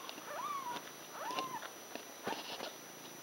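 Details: Litter of six Ragdoll kittens, five days old, with their mother at a cattery; two thin, high arched mews that rise then fall, followed by a brief third squeak, over a soft steady hiss.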